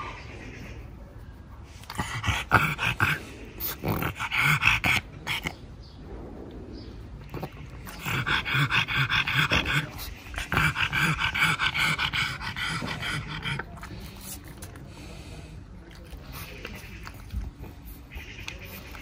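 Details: Pug named Pangpang giving repeated raspy, gruff snorts in bunched bouts separated by short pauses, sometimes growl-like, with quieter breathing between bursts.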